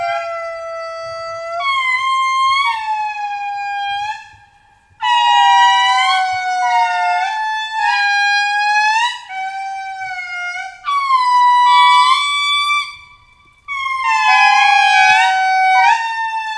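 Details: Indri in Madagascar's rainforest, where they tend to sing to one another in early mornings: loud, wailing, humpback-whale-like notes sliding downward in long overlapping phrases, with family groups calling back and forth.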